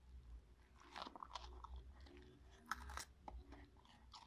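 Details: Indoors, Marti the Cocker Spaniel munches a pepper: short crisp crunches and moist biting clicks in uneven bursts, a sharper snap near the middle, over a steady low room hum.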